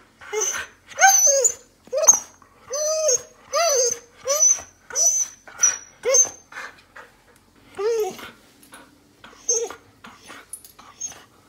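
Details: Old Samoyed indoors whining eagerly to go out, trembling after being told to sit, mistaking a hospital trip for an outing: rapid run of high, bent, squeaky whimpers, then fainter, breathier whines with short gaps toward the end.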